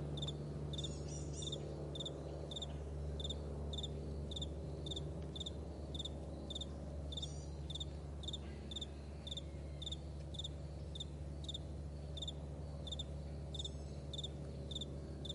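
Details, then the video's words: Crickets on a vast meadow at morning give an unbroken run of crisp, high, evenly spaced chirps, about two each second, with a faint low hum underneath. "Morning Crickets"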